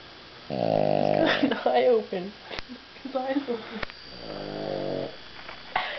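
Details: Sleeping dog snoring after a big meal: a deep, rattling snore at the start and another near the end, with a person talking quietly in between and two sharp clicks.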